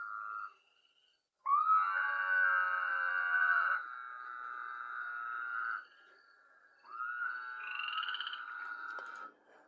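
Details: A male Woodhouse's toad gives a nasal, bleating advertising call with a faint whistle, like a sheep, in drawn-out bursts.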